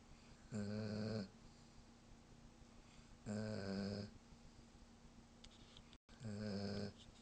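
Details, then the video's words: German Shepherd dog snoring while asleep: three loud, rasping, droning snores, each under a second long and roughly every two to three seconds, with a brief dropout near the end. "German shepherd snoring"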